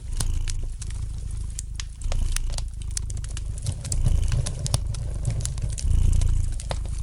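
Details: Gentle purring of a relaxed domestic cat, a deep continuous hum swelling and easing, mixed with light snapping crackle from a fire in the fireplace.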